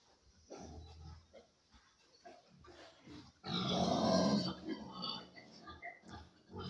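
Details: Large White boar and sow during mating: low intermittent grunts early, then a loud, harsh, broadband squealing outburst lasting about a second and a half, followed by softer grunts and snorts, with brief human speech beforehand.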